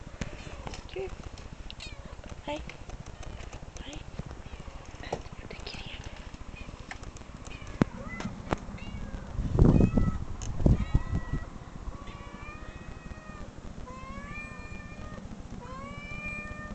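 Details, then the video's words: Cat meows played from online videos indoors; talking and a loud thump come first, then a run of drawn-out, level, whining meows over constant low background rumble. "cat meow"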